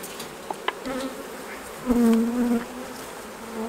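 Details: Honey bees at the hives during the honey harvest, a single bee's steady flight buzz swelling as it passes close, low droning tone with a fainter overtone, over a soft background hum of the colony.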